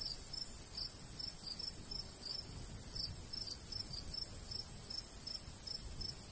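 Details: Crickets calling in summer countryside near golden wheat, short bright chirps repeated about once or twice a second, fairly irregular, over steady high background hiss and faint breeze.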